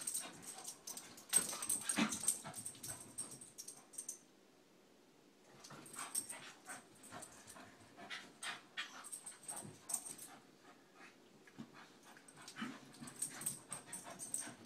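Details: Two Scottish Terriers, McGee and Mackie, wrestling in play indoors; bursts of scuffling and short growly yips come in clusters, with a quiet pause around four to five seconds before the tussle resumes.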